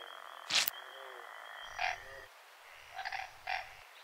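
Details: A Western chorus frog (Pseudacris triseriata) from the shores of Georgian Bay gives short, rasping pulsed trills, three bursts in quick succession.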